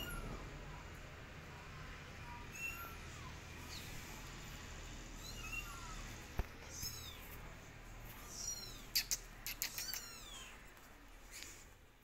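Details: Kittens crying for their mother, who holds back and observes; faint, thin meows repeat over a steady hiss of background noise, followed near the end by a cluster of sharp tapping clicks.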